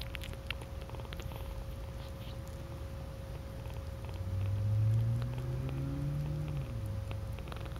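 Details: A domestic cat purring: a low, steady rumble that swells slightly in the middle, with a faint constant hum running underneath.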